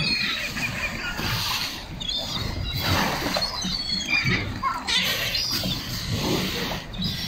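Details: Several sea lions at a beach in Coquimbo, Chile, give rough, gravelly bellows and barks in uneven bursts about a second apart, over constant wave noise.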